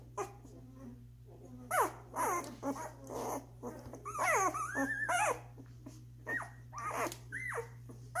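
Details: Doberman puppies at one week old, eating and sleeping in a litter and pushing each other off the best feeding spot. Repeated high whining squeaks, some sliding upward and some wavering, come in bursts over a constant low hum.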